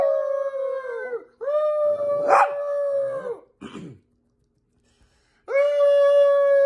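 Chihuahuas give long, steady, high-pitched howls that tail off at the ends.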